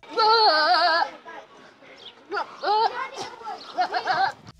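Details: A goat gives a long, wavering, human-like scream of about a second, then shorter strained bleats, with a voice and faint music underneath.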